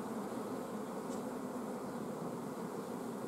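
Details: Apiary honey bees recorded 14 June 2016, the colony starved of nectar flow and refusing new eggs from the queen; long unbroken low hum of many bees, steady and even, one faint tick midway.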